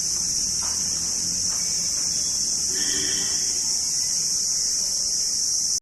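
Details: Chorus of crickets in a continuous high, hissing trill that never pauses, with a short faint tonal sound near the middle and low background rumble.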